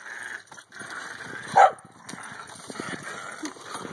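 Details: During a hula hoop party, a corgi gives one short, sharp, mid-pitched bark over a quiet background hiss.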